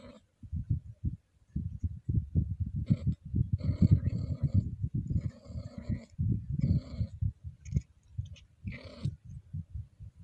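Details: A Scottish Fold cat in heat, gently stroked, gives low, drawn-out moaning yowls from the throat over a steady rumbling purr.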